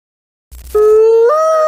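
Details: Mexican wolf, native to the southwestern United States and Mexico: one clear, loud howl starting after a short silence, held steady, then stepping up abruptly in pitch.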